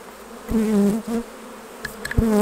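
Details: Honey bees at the hives during honey harvest: loud, steady, low wing buzzes from bees flying close, two strong passes separated by a brief lull, with sharp clicks and taps of hive equipment in between.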